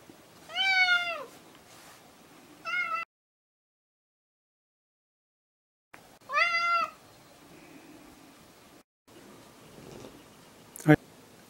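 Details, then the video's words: Semi-stray cat calling back in reply to being called: a long, bending meow, a short one, then after a silent break another drawn-out meow, with a sharp knock near the end. "半分野良猫８ 呼べば応える。"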